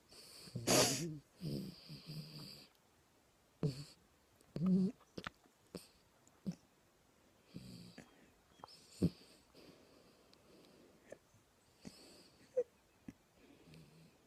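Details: Small dog snoring in a quiet room: a loud snorting breath opens, then softer wheezing rasps and scattered clicks recur irregularly over low background hiss.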